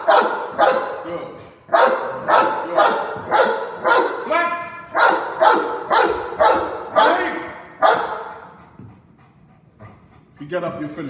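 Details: A Cane Corso in a home invasion role play barks rapidly and forcefully, about two deep barks a second for eight seconds, then falls quiet before a last bark; a man's speech is also heard.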